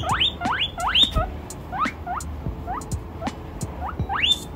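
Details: Delighted baby guinea pig greeting chinchillas with quick rising squeaks, several loud upward whistles at the start and end and softer, shorter chirps between, with light tapping noises underneath.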